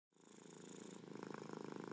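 A domestic cat purring, a steady low rumble of rapid pulses that swells slightly.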